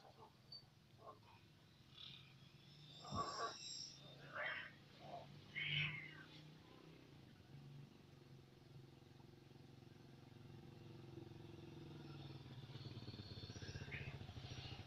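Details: Angora cat fighting a village cat: a few harsh, rising yowls and hissing bursts over a low rumble; finding: Angora cat.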